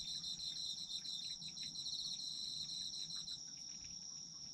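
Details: Autumn insect chorus of crickets: rapid, evenly pulsed high trilling over a constant piercing tone, the pulsed part fading out near the end while the steady ring continues.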